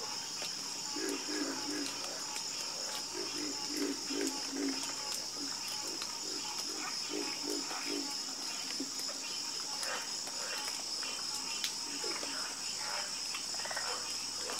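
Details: Frogs croaking in a nighttime chorus: clustered low pulsed croaks in short bursts, set against a steady high insect-like buzz and a dense background of other calling animals.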